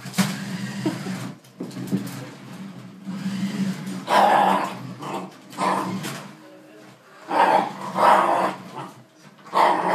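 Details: Dog confronting a jeep, giving rough, harsh barks and growls in uneven bursts over a steady low engine-like hum.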